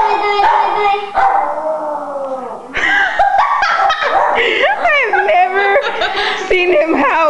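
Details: An old dog, around eight or nine years old, howls. A steady, low, hoarse tone is held for a few seconds, then gives way to wavering, broken cries mixed with people's voices.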